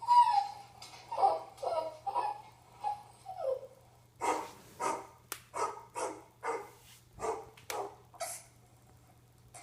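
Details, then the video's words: Bear, a Yorkiepoo indoors in a small room, reacting to friendly dog bark and whine sound effects: a few soft whines at first, then a run of sharp, broadband barks repeated roughly every half second to second. "Bear the Yorkiepoo's reaction to "Friendly DOG Bark & Whine Sound Effects""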